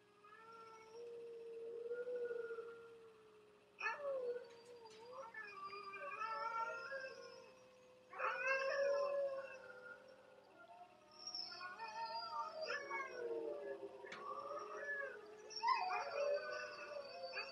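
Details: Yorkshire Terrier being taught to howl on command by shaping: long, soft, wavering howls with rich overtones. They rise and bend in pitch, come in drawn-out phrases of several seconds, and sometimes break into brief yips.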